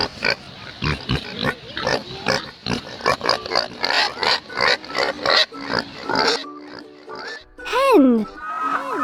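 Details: Pig grunting in a rapid run of short, harsh, rough bursts for several seconds, over children's background music, with a voice naming animals and a higher drawn-out call near the end.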